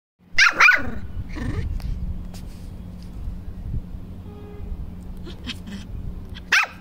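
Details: Puppy barking in an aggressive mood: two sharp barks in quick succession near the start, then a long quiet stretch with faint knocks over a low hum, ending on a single bark.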